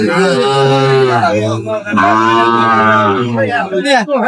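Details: Young Sahiwal bull at a Narayanganj market in Bangladesh, recorded 3/6/25 during price haggling; two drawn-out, deep moos, the second slightly rising, with men's voices mixed in and loud market chatter closing the clip.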